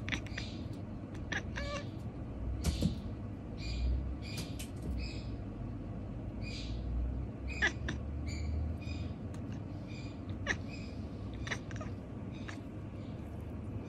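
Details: Male house cat Mochi mutters 'nyanyanyanya' during the night, giving many brief, quiet, high-pitched chirp-like meows in loose bursts, some rapid and clustered, others spaced apart, over steady low background hum and occasional soft knocks.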